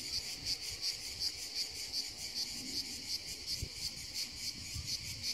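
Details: A cicada found on the hills, the insect that makes noise all summer, gives a high grating buzz pulsing steadily about three times a second, with light handling rustles.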